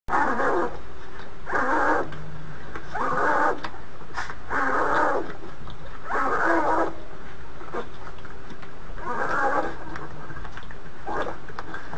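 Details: Polar bear mother with twin cubs in the maternity den at Ouwehands Dierenpark Rhenen, week three: loud, buzzy, harsh bursts about a second long repeat irregularly every one to two seconds over a steady low rumble.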